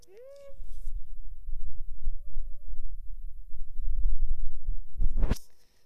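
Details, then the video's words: Domestic cat giving three drawn-out meows: a loud first one, then two softer arching ones, over a steady low rumbling purr, ending with a sharp noisy burst. "Cat purr and meow sound effect"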